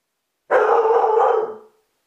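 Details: Groenendael Belgian Sheepdog reacting to the doorbell, recorded with a hidden camera: one drawn-out, loud and rough bark lasting a little over a second, starting abruptly and fading at the end.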